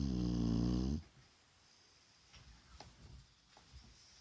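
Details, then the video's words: Shar Pei Vaya resting in the daytime ends a deep harmonic snore within the first second, followed by soft breathing and small indoor clicks. "Шарпей Вая храпит!"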